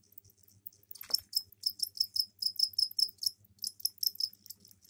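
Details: Captive crickets in a container with egg-laying soil give their mating calls; a series of evenly spaced, piercing high chirps about three per second, preceded by a single sharp click.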